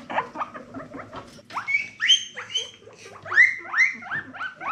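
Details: Guinea pigs exploring give short stuttering chirps, then a series of loud whistled squeals. Each squeal rises sharply and falls away, repeated about every half second.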